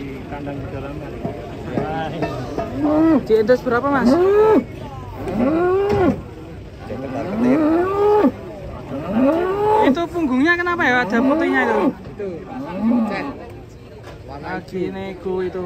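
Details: Giant, fat cattle mooing: a run of drawn-out, arching low calls, each rising then falling over about a second, come in quick succession with short gaps. Background music and occasional voices are heard alongside.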